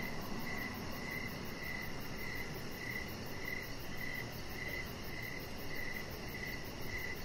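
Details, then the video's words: Evening crickets calling near a deck, clear high chirps spaced evenly about half a second apart over a dull, steady low background noise. "3 Hours Of Chihuahua Puppy Laying On Deck with Cricket Sounds"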